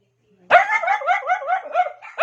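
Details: Pet dog calling for the attention of another dog: one long, wavering, whining yowl that rises and falls in quick undulations for nearly two seconds, ending in a short sharper note.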